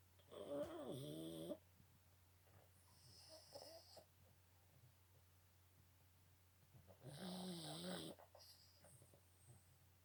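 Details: Boston Terrier snoring: two long, wheezy, whistling snores several seconds apart, with softer breathy rasps between them over a low steady hum.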